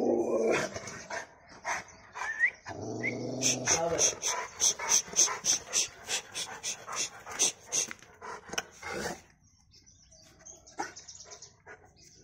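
A Rottweiler gives a rapid run of rough, forceful barks, about three or four each second.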